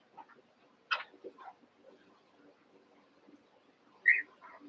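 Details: Cavalier King Charles Spaniel puppies, six from Daisy's litter joined with Robin's two, at play; two sharp whiny yelps stand out, with softer murmuring whimpers between them in a quiet room.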